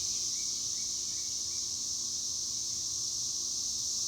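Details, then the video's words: Chicharras, or cicadas, keeping up a constant high, hissing buzz without pauses or changes in intensity. "El sonido de las chicharras"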